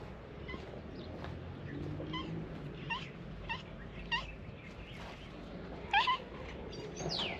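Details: Female calico cat, grabbed from behind and trying to bite, gives a few short, faint, harmonic meows spaced a second or so apart, the last one louder and sliding, over steady low background hum.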